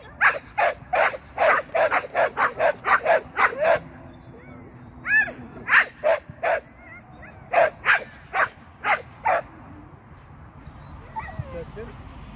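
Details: Shetland sheepdog at agility training, first seesaw flyer and first tunnel run: a rapid burst of about a dozen sharp barks in four seconds, then slower single barks spaced roughly every half second, fading into quiet background murmur.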